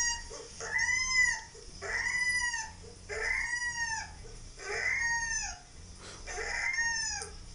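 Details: Siberian Husky puppy whining while Labradors Maddie and Roxie react, recorded 18.04.13; long, arched, high whines rise and fall, repeated roughly every one and a half seconds with short pauses between them.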